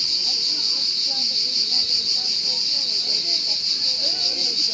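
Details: High, sustained cricket stridulation with rapid even pulsing, never pausing, and faint low chirpy or voice-like sounds well in the background.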